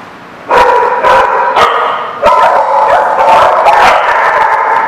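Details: A group of dogs at The Barking Lot on 22 September 2017 erupts after a short quiet start into dense, overlapping barks and high, drawn-out yelps that continue without pause.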